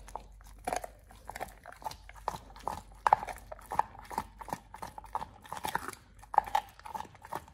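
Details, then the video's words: Oliang, a Pit Bull, eats a raw ostrich paw for the first time indoors, a teeth-polishing and jaw-exercise snack; sharp crunches and wet bites come in quick irregular bursts, several per second, with brief quiet gaps. "Oliang the Pit Bull 1st time eats Raw Ostrich PAW [ASMR] BARF | MUKBANG 動物の咀嚼音 | 犬が生の肉を食べる"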